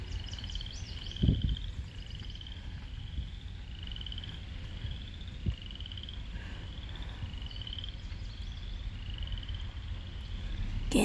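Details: Frogs at Lake Manawa in Council Bluffs, Iowa, give short, high, rising chirps, repeated roughly once a second over a low background rumble.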